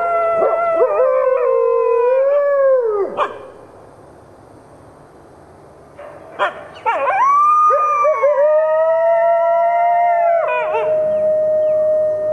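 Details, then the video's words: Group howl of captive red wolves joined by gray wolves at the Wolf Conservation Center in South Salem, New York. Two bursts of drawn-out, sliding howls with sharp yelps at their ends are separated by a few seconds of near quiet. "Red Wolf Pack Howling"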